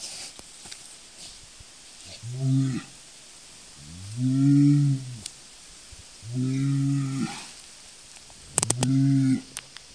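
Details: Highland and Hereford cattle mooing: four deep, harmonic lowing calls, each about a second long, spaced roughly two seconds apart, with a few sharp clicks and light background hiss.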